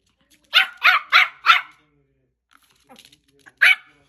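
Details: A dog gives four sharp, loud barks in quick succession, falls quiet apart from faint soft noises, then lets out one more bark near the end.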